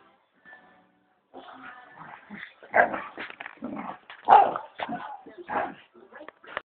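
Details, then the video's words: Dogs fighting: after a second of near silence come dense, irregular bursts of harsh snarls and barks, loudest near three and four seconds, rough and low-fidelity with a muffled, band-limited tone. "Dog Fight"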